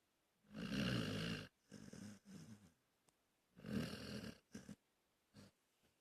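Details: Napping dog snoring: a long rough rasping inhale, then shorter fluttering breaths, and a second loud rattling snore about three seconds later, followed by brief snuffles in a quiet room.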